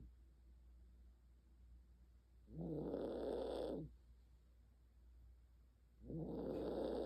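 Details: Senior Maltese dog asleep indoors, snoring in rough, buzzy breaths lasting over a second, spaced about three and a half seconds apart, with quiet pauses between.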